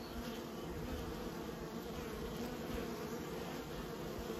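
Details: Honey bees kept by a beekeeper fill the air with a constant, dense droning buzz, low and layered, barely changing in loudness across four seconds.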